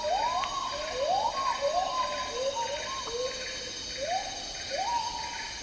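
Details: Agile gibbon, also called black-handed gibbon, singing in Malaysian tropical rainforest; quick series of rising, swooping whoop notes, each sliding upward then holding briefly, repeated about once a second over a constant high-pitched insect hum.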